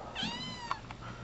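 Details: Almost pure Bombay rescue cat Penny, aged seven months, practising motherhood with squeaky toys: a bright, harmonic-rich meow rises then tapers off, followed by a sharp click and a fainter trailing mew.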